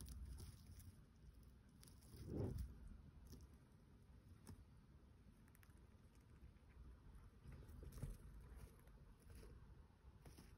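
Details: A female rescue dwarf hamster eating a wheat spray nibbles and crunches softly, with faint pattering and rustling of dry stalks.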